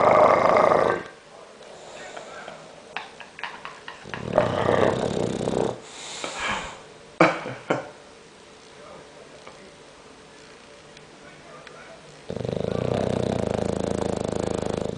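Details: Loud snoring from a sleeping English bulldog: a coarse, rumbling breath at the start and another near five seconds, scattered clicks and shuffles in between, and a long sustained snore over the final three seconds.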